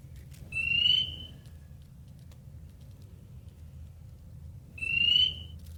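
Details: A male Spring Peeper calling for a mate from a reed in a flooded bog on Long Island in spring gives two piercing, high, slightly rising peeps about four seconds apart.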